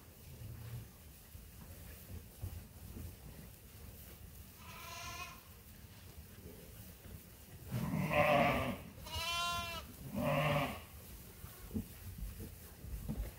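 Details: Sheep and lambs at Ewetopia Farms during morning feeding chores give scattered bleats: a faint distant one, then three louder quavering cries close together near the end, over low farmyard rumble and shuffling.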